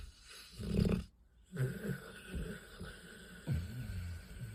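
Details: Sleeping dogs snoring loudly, possibly dreaming: low, rumbling, throaty snore bursts come roughly once a second, with a short silent break near the start.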